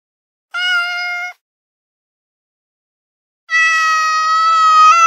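A Pomeranian gives two long, steady, high-pitched whining notes, the second held longer than the first.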